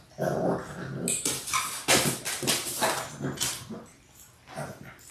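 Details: Labrador Retriever puppies in their sixth week, six littermates born January 18, 2022, on a live indoor puppy cam. A dense, continuous run of rough growling and whimpering with sharp bright yips over scuffling.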